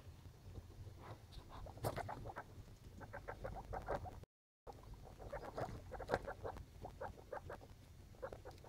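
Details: Litter of baby skinny pigs calling in rapid runs of short, repeated squeaks, pausing briefly and then starting again, with low rumbling underneath.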